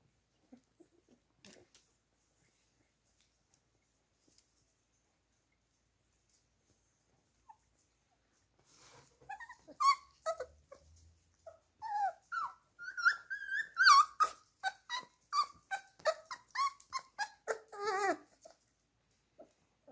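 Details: Playing Beagle puppies, four weeks old, stay quiet at first apart from faint clicks, then break into a busy run of high whining whimpers and short yelps, some wavering and sliding up and down, closely spaced.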